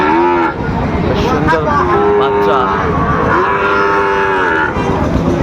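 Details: Sahiwal bull calves for sale at the opening of Ambari cattle market in Dinajpur, Bangladesh, on 26 September; three drawn-out, harmonic moos, the last two long and steady, over constant crowd chatter and bargaining voices.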